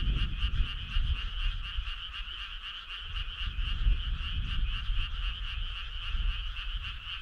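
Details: Many frogs calling together on a summer night along a country road: a dense, continuous pulsing trill in two bright bands, steady throughout, over a heavy low rumble.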